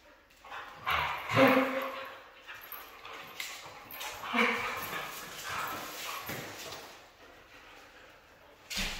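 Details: Red female Siberian husky vocalizing in bursts: tonal, whiny cries with clear harmonics around 1.5 and 4.5 seconds, between breathier, noisier sounds. Some faint voices may be in the background.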